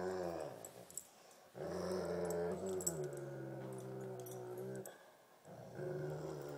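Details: Thumper the Great Pyrenees and Baby Huey the Tibetan Mastiff play tug of war inside, giving long, low, rolling growls that rise and fall in three sustained bouts, with faint clicks and scuffling between them.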